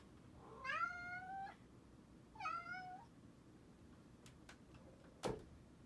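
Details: Indoor pet cat at night in a closet room thought to be haunted, sharing the room with a male Bengal and a male Munchkin. Two clear, rising-then-falling meows, the first longer, followed by soft knocks and one sharp thud.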